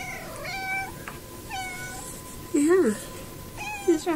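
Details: Neighbour's male cat, wearing a bow tie, visiting indoor cats through a window: short rising-then-falling meows repeated about once a second, over a woman's greeting voice.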